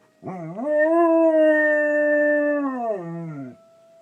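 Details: Pet dog Mandy joins a fire alarm with one sustained howl lasting about three seconds. It rises, holds level, then slides down. A faint steady alarm tone lingers afterward.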